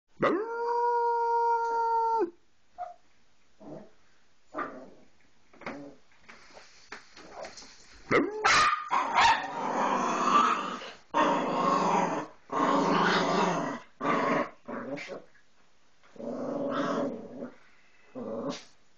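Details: Dog howling: a steady, harmonic, level howl of about two seconds, then a run of irregular barks and yelps, with louder overlapping bursts and a second voice joining in the middle.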